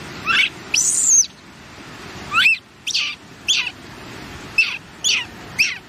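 A baby monkey gives high, thin chirps and squeaks in short, irregular bursts.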